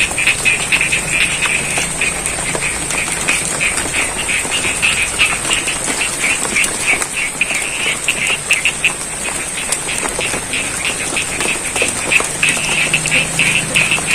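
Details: Rain falls on a rice paddy near Ngadirojo in Pacitan, East Java, Indonesia, while a frog chorus keeps up dense, quick croaking, roughly three pulses per second, under a continuous high-pitched drone and soft patter of water.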